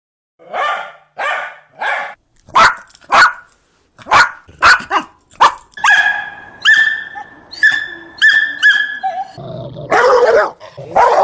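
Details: Dog barking: a run of sharp, harmonic barks and yips, spaced roughly half a second apart, shifting later into higher, clearer tonal yelps with a rough, noisy bark near the end.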